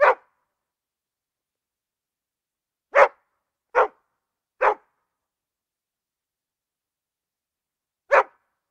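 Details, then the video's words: Single dog bark, then a long pause, then three quick barks in a row and one last bark after another gap; clear, punchy barks against complete silence. "Szczekanie psa"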